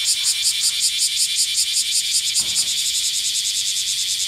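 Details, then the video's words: Black cicada calling in the hot summer of Kyoto, western Japan: a loud, high, grating buzz pulsing rapidly, about two and a half pulses per second, steady throughout, with a faint brief low sweep midway. "Noisy cicada in Kyoto."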